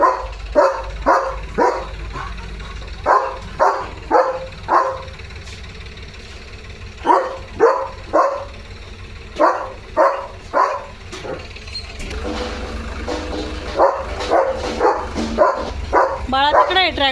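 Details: German Shepherd named Leo barking at a tractor passing in front of the house: sharp barks in quick bursts, about two per second, with a pause mid-way, then softer barks over engine rumble and a man's voice at the end.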